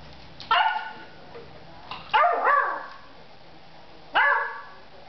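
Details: Beagle playing with a plastic bottle, giving three sharp, loud barks spaced irregularly over five seconds, the middle one doubled into a quick two-part yelp, with quiet room noise between.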